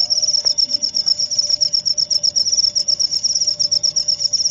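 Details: Cricket trilling in quick regular pulses, roughly four per second, high and thin, over a faint steady low tone.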